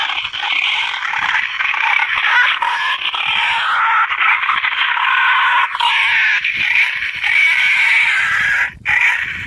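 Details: Boar-calling sound that hunters use to bring wild boar to feed: a sustained harsh, high squeal with gliding pitch bends, steady loudness and a brief break near nine seconds.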